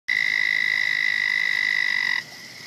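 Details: Frog calling in a pond passed daily, a turtle living in the same water: a steady, high, buzzy trill held for about two seconds, then cut off sharply, leaving quiet background.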